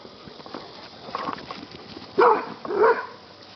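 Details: Buddy, a yellow Labrador retriever rescue dog, play fighting: after quiet shuffling, two short, loud, harmonic barks about half a second apart near the end, over a soft background hiss.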